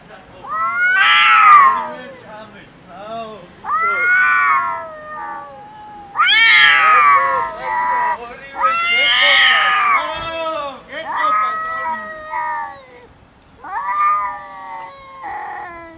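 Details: Angry cats fight and argue loudly over food, trading bursts of overlapping yowls and strained wails that rise and fall, with short pauses between outbursts across sixteen seconds.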